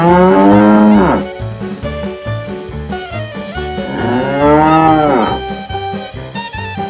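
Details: Tame cows herded by day: two long, deep moos that swell and sag in pitch, one at the start and another a few seconds later, with upbeat brass music playing throughout.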